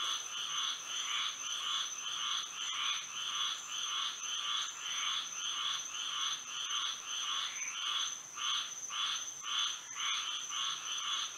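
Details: Moonlit Florida night with frogs singing: regular trains of harsh, pulsing croaks, close to two per second, several frogs overlapping, while a thin continuous high whine sits underneath.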